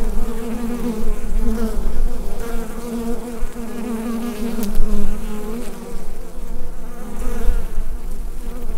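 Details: A continuous low drone of many bees within their hive, captured on a Rode NT-USB microphone. The hum holds steady with small rises and dips and a brief sharp tick near the middle.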